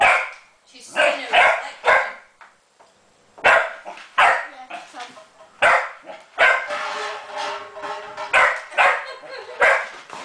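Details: Pet Springer Spaniel named Jenny barking at a copper pot holding her ball; repeated loud barks, some in rapid doubles, with a brief pause early on and human voices calling her name mixed in.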